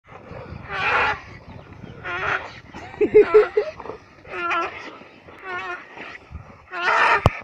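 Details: Several hunting dogs chasing a steenbok bark roughly and break into thin, quavering yelps and whines in uneven, excited bursts a few seconds apart, some notes wavering, others short and rasping.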